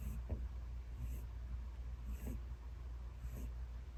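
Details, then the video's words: Elderly ten-year-old pet rabbit named Peter snoring loudly while asleep: soft, breathy rasping pulses recurring roughly once a second over a steady low hum. "Peter Snores Loudly"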